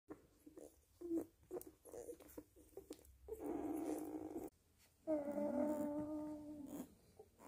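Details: Young nursing Weimaraner puppies make quick, soft snuffles and squeaks, then a rougher whimper and a steady, high whine that holds for about two seconds before fading.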